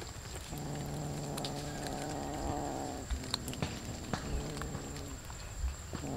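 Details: A sustained low, rough droning purr or growl runs unbroken for about two and a half seconds while many cats eat raw fish, followed by wet chewing clicks and a steady electrical hum.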